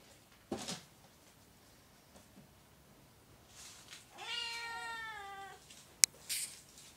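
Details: Oriental or Siamese cat indoors giving one drawn-out harmonic meow of about a second, with a few brief clicks and knocks before and after.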